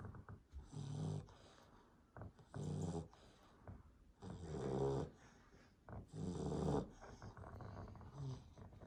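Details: American Staffordshire Terrier puppy named BOI, 12 weeks old, sleeping indoors: low, rasping snores in bursts roughly every two seconds, each a throaty rumble with brief quiet breaths between.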